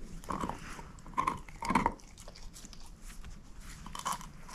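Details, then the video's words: Moose, a female shepherd mix, gnawing on a bone: irregular wet crunches and soft bites cluster in short bursts, with quieter licking and mouthing sounds between them and no voices. "SHEPHERD EATING BONE ASMR"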